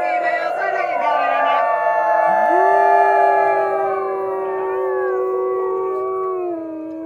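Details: Several gray wolves of a captive pack howling together during a park's Howl Night in April: a female leads while another gives yipping howls, long sustained overlapping tones, some sliding up and holding steady, others wavering, forming a layered chorus.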